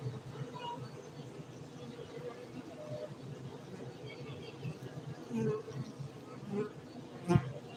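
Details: Honey bees at an apiary in Bener Meriah, Gayo, Aceh, Indonesia, making a steady low droning hum throughout, with brief louder passes and a short sharp knock near the end.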